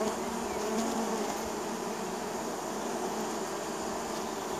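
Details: Spring buzzing of a neighbor's honey bees arriving at the hive entrance: an unbroken, full humming drone from many bees, with individual wingbeat tones rising and fading within the swarm.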